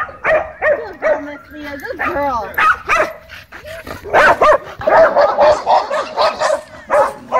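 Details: Tense dog park scene with leashed dogs and a brewing dogfight; overlapping barks and whining yelps come in uneven, dense bursts, loud and continuous toward the end.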